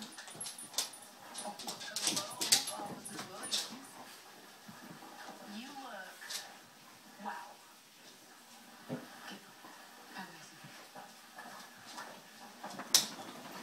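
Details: Two 2-year-old female Basset Hounds, one a rescue, play together, giving scattered whines, grumbles and short yips, with faint human voices nearby.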